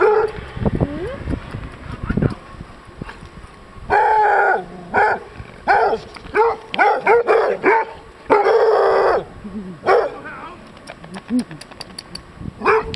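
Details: Old English Sheepdog (bobtail) that has got dirty, recorded 24 March 2023; loud, harsh barks come in a close run from about four to nine seconds, then a few more scattered barks, with some voices in between.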